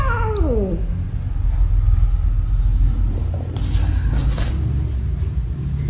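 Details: A cat among cats and kittens at play and fighting in a tunnel gives one short descending meow at the start. Rustling, scuffling movement and a low steady rumble follow.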